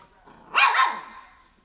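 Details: A single drawn-out, slightly growly bark from a three-month-old Shih Tzu puppy barking at crocs.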